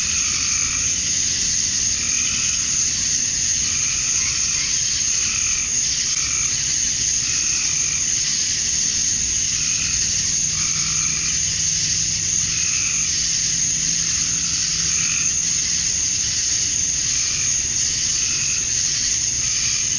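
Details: A chorus of male cicadas at dusk in Georgia, USA, on a summer night, calling to attract females. An intense, even, high-pitched drone runs throughout, overlaid by repeated softer throbbing phrases that come and go.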